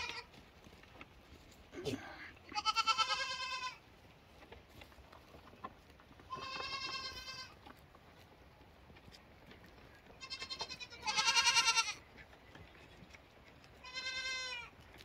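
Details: Lamb bleating: four separate wavering, nasal bleats spaced a few seconds apart, each under a second and a half long, over a quiet background with faint low rustling between calls.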